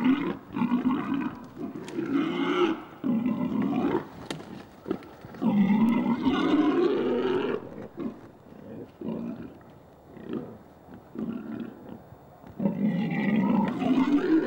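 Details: Wild boars mating in a forest, where the female runs away while the male clambers on her back. Long, strained squeals rise and waver in pitch, coming in several drawn-out bouts broken by brief pauses and softer grunting.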